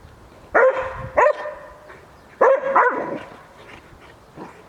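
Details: Šarplaninac Bubu, teasing a wolf, lets out four loud barks in two quick pairs, then fainter trailing yelps; people cheer "brawo" just before.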